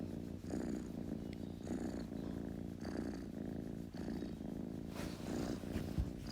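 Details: Steady purr from a kitten, a low rumbling buzz pulsing with its breathing about once a second, close and clear, with slight rustling near the end.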